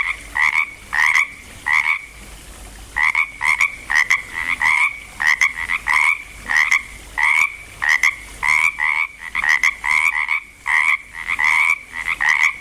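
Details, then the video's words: Chorus of frogs at Langlois, Oregon, getting going: loud, dense two-note croaks, each a short rasping pulse with a higher and lower part, repeating in clusters with brief pauses between them. "frogs croaking in Langlois Oregon"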